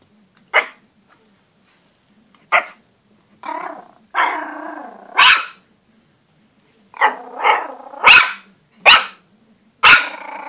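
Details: Pomeranian puppy barking at his own reflection, giving high, sharp yaps in irregular bursts, some drawn out into growly barks, with a cluster of rapid yaps near the end in a quiet room.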